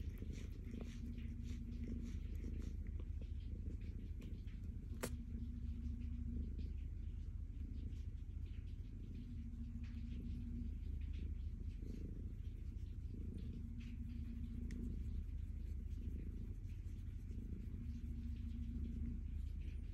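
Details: Calico cat purring contentedly while being petted: a steady, low, rumbling purr that continues throughout, with a faint tone that recurs every few seconds in the background.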